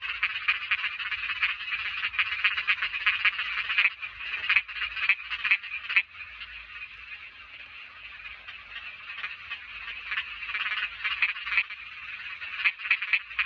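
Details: Small frogs calling in a dense, continuous chorus: many overlapping rapid, rasping croaks blending into a steady shrill buzz, with slight surges and dips in loudness throughout.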